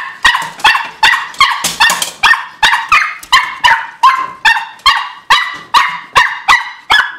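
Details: Excited barking from Bella, a Miniature Pinscher aged two, who goes crazy barking and scratching when about to be let outside; short bright yaps repeat quickly and evenly, roughly every 0.4 seconds, with no other sounds.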